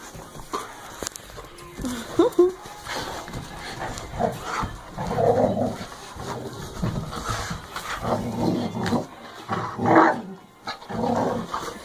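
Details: Belgian Malinois showing prey drive: low rough growling and snarling bursts at night under a light, mixed with scuffling and excited human voices, with a louder burst near the tenth second.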